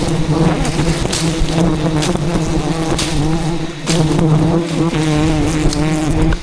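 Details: Angry bees defending a giant wild beehive in dense jungle during a traditional honey harvest; a loud, steady low buzz with warbling upper harmonics, a brief dip near four seconds, and occasional sharp thumps.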